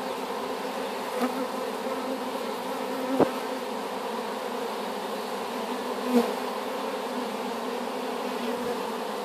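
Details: Swarm of honey bees collected from an apple tree and newly housed in a hive keeps up a steady rich hum, broken by two sharp knocks about three seconds apart.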